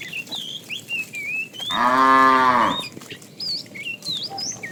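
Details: Cows from a tame herd on the move to fresh pasture; one full, rounded moo swells and fades over about a second, surrounded by busy, whistled bird chirps before and after.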